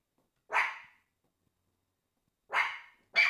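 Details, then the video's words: Pomeranians Prince and Fifi give three single sharp, high-pitched barks, the first alone after a pause, then two close together near the end. "Prince and Fifi The Pomeranians Barking!"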